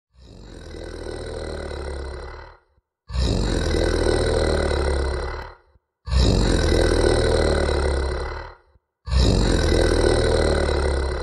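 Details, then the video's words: A happy tiger, recorded close up, purrs softly in long, deep, rumbling bursts, pausing briefly for breath between them. "HAPPY TIGER PURRING"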